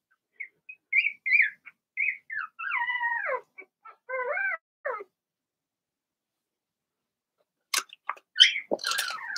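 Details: Young Cavalier King Charles Spaniel puppies, Blenheim colouring, part of a litter of six in a home puppy pen. High thin squeaks and short falling yelps come in a quick run, then a pause, then a burst of scuffling and clatter.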